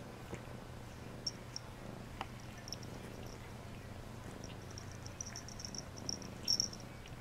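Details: Pet cat at bath time gives a quiet, low rumbling purr beneath clearer high-pitched clicking and ticking that bunches toward the end, with a short sharp tap near the midpoint.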